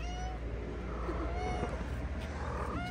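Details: Stray ginger cat and a companion cat on a street in Morocco, playing; faint rising-falling meows near the start and end over a steady low hum and street noise.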